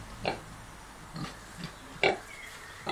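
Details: Kunekune sow, unwell and a bit grumpy, indoors with her five-day-old piglets she has been feeding well; short soft grunts come at uneven intervals, four brief bursts within three seconds.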